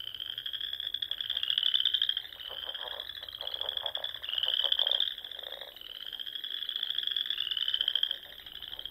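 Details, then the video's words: Sandhills frogs of Nebraska in spring, calling at dusk from pond edges in the dunes. Sustained rising trills swell and fade in waves of roughly two to three seconds over a bed of softer, lower croaks. "RELAXING SOUNDS OF FROGS"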